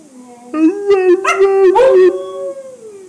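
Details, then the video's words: A Siberian husky named Buckles, "talking" to his owner about his day, gives a sustained, wavering howl that rises and bends through a few vocal turns. "Howling Husky"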